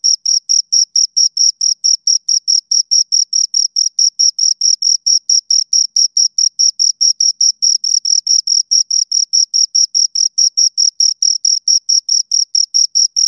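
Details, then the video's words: Steady chirping from two crickets, shrill high-pitched pulses repeating rapidly and evenly for the whole stretch, loud and close with a quiet, empty background. "Two Crickets Chirp Sounds"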